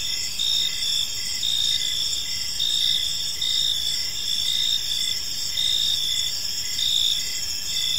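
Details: In a park at evening, numerous crickets keep up a high, ringing trill, with rhythmic chirps swelling roughly every second over a constant insect hum.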